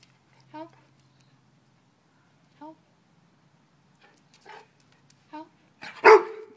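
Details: Service dog barking as a trained response to a seizure gesture: a few short, soft, tonal yelps spaced about two seconds apart, then one loud, sharp bark at the end, with brief human speech.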